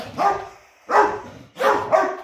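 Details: Ludo, a four-month-old puppy, barking indoors at about seven in the morning as part of a noisy barking competition; three spaced, hoarse barks with slightly whiny overtones.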